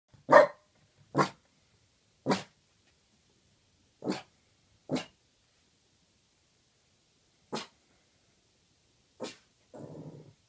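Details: In the middle of the night, a Boston terrier gives sharp, single barks at irregular intervals, ending in a low growl.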